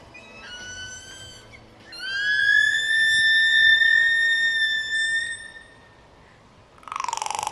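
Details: A captive killer whale at SeaWorld San Diego in October 2014, trained to vocalize out of the water during a show, gives a short squeal, then a long, steady, reedy whistle rich in overtones.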